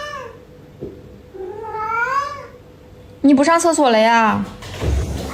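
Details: Yuanbao, a pet cat, meowing early in the morning to demand more food right after eating; two drawn-out meows, the second louder and wavering, with a human voice in the background.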